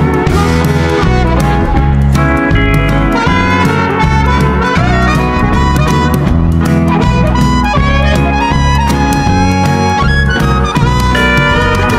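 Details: Loud instrumental music with guitar and brass-like tones and a steady bass beat plays throughout, with no animal sounds heard.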